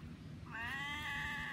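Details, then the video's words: Domestic female cat whining because she is afraid of chickens: one drawn-out, high, slightly falling whine lasting about a second, over low rumbling background noise. "My cat whining at me because she is afraid of chickens"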